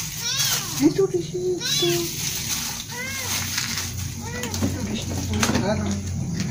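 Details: Kittens at their breakfast give several thin, rising-falling mews spaced about a second apart, mixed with a woman talking and splashy eating noises close by.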